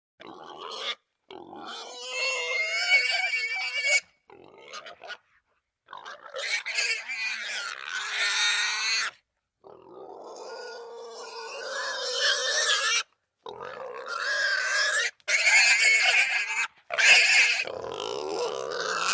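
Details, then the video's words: Russian boar squealing in long harsh bursts, shrill and strained with strong upper harmonics, separated by short silent gaps, some bursts rough and grunting, others rising into piercing screams. "russian boar squealing"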